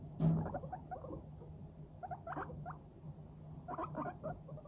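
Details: Happy guinea pigs, Teddy and Abyssinian, make brief clusters of quick, soft popping putts as they walk, scattered in short groups over a constant low background hum.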